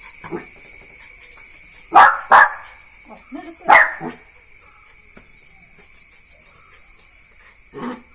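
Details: Jack Russell Terrier puppy named Neo giving sharp, harsh barks: a pair near two seconds, another just before four, then a softer one at the end, over a steady high insect drone.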